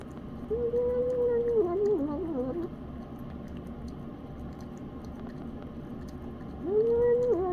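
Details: Elderly cat nicknamed Grandma Grumpy Cat eating senior 7+ beef pate wet food, giving a wavering, hummed tonal moan lasting about two seconds, then a shorter similar moan near the end, over low room hum.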